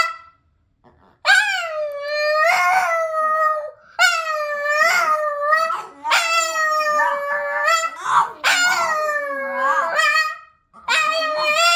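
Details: Boston Terrier, one of a pair named Boston and Herb, howling or singing: long wavering tones with rich harmonics, several sustained howls separated by short breaths, rising and falling in pitch.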